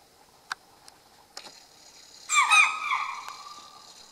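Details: Alarmed chital in grasslands near Kaladhungi, Uttarakhand, India, as darkness falls, responding to unknown danger where tiger and leopard roam. A few soft clicks and taps precede one loud, piercing, harmonic alarm bark that tails off quickly.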